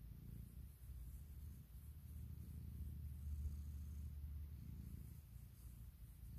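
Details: Morning purring from Puk, a pet cat with a very loud purr, as she wakes her owner and seeks cuddles; deep, continuous rumble with soft breath-paced swells, recorded close indoors with no other sounds.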